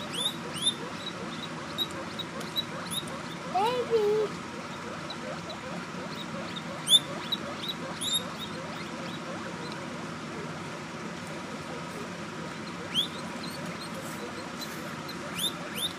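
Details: Baby guinea pigs give short, high squeaks and chirps as they try to find their mother while she eats an apple slice.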